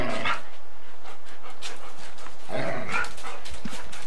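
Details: Two dogs, a Golden Retriever and a Samoyed, wrestle in bitey-face play on old 8mm tape. Two short harmonic yelping bursts, one near the start and one near the end, are separated by hissy background noise.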